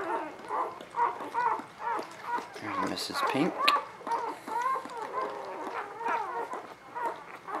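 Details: Newborn puppies recorded in spring 2017 keep up steady, rhythmic squeaky whimpers, about two per second, while a person speaks briefly in the middle.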